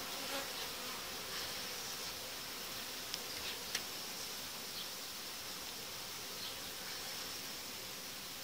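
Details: Dense, unbroken drone of honey bees in an apiary where the uniting dividers are lifted out after about five days of merging colonies; two brief clicks in the middle.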